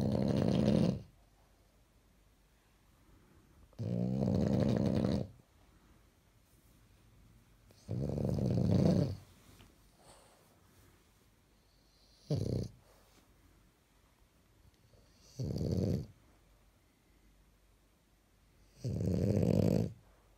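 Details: Pajama-clad French bulldog asleep and snoring: six harsh, rumbling breaths, some long and some brief, coming every three seconds or so against near silence.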